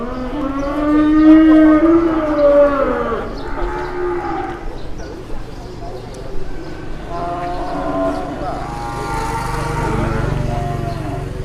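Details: Jumbo cattle arriving early in Indonesia and drawing a crowd of onlookers. One gives a long, deep moo that rises and then falls, followed by shorter moos after a pause, over a low murmur of background noise.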